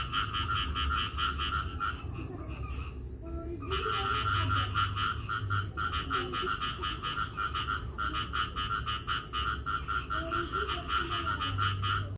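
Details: After rain, a dense chorus of frogs calls together, rapid pulsed croaks overlapping in a steady wall of sound.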